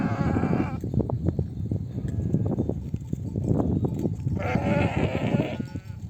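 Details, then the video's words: Mother sheep of a nomadic flock returning from grazing, calling lambs to breastfeed; two loud bleats at start and near the end over heavy trampling and shuffling of many animals. "The sound of mother sheep returning from the pasture to breastfeed her babies"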